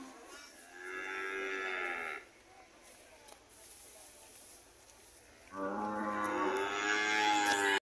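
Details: Homecoming red cattle calling: one sustained moo of over a second, a quiet stretch, then a louder, longer lowing call rising in strength before cutting off abruptly.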